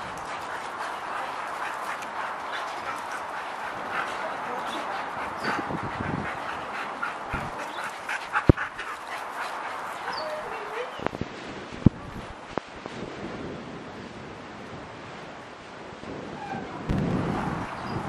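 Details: A Siberian Husky grumbles and whines in bursts while playing with a Jack Russell, amid steady scuffling and rustling noise.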